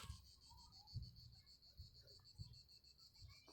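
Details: Cicadas singing in the Hautes-Alpes near Savines-le-Lac, unusually high for them, during heat and drought: a continuous high shrill buzz with fast pulsing, with soft low thumps underneath.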